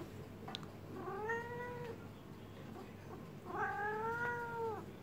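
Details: Cat in heat, calming under a massage, utters two long, slightly arching yowls, each nearly a second, with a quiet gap between and a steady low hum in the room.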